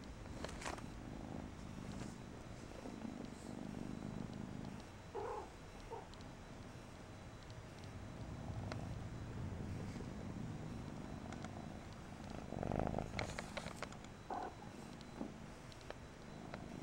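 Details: Persian kitten named Mariah purring steadily in low, rough pulses, with a few brief higher squeaks and clicks scattered through.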